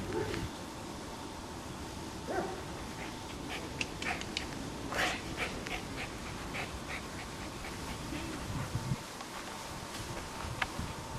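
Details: A very small, nervous, one-eyed dog in an animal shelter pants and snuffles with scattered clicks and brief soft whimpers over steady background hum.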